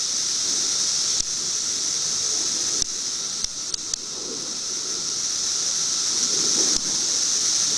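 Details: Periodical cicadas, filmed in 2008, keep up a constant high, hissing buzz while several sharp clicks and handling knocks break in, along with soft low rumbles.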